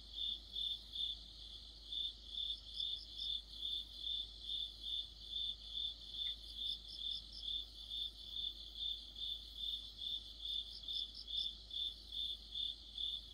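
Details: Crickets in an autumn chorus with other insects beneath a streetlight: a constant run of sharp, high chirps at about two per second, with bursts of a second insect's quicker pulsed trill layered on top.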